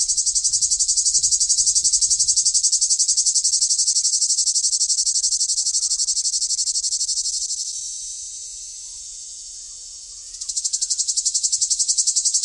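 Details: Cicada chorus in summer: a dense, piercing buzz pulsing evenly about four times a second, fading and softening midway before surging back loud near the end.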